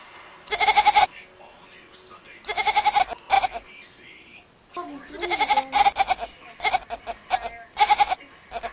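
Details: Domestic cat that bleats like a goat instead of meowing: short nasal wavering cries, each about half a second, coming in bursts of two or three, with a woman talking and laughing between them.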